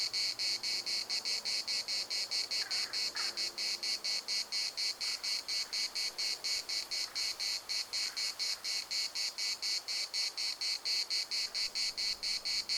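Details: Cicadas at the municipal park, Larnaca, droning in a dense, high rasping chorus of rapid regular pulses, continuous across the whole passage, a faint brief call showing briefly in the middle.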